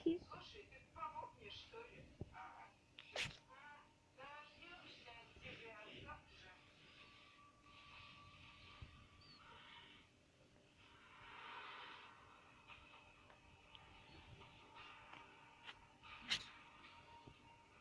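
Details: Ferret washing itself and sneezing indoors: two sharp, explosive sneezes, one near the start and another near the end, set against steady human talking in a small room.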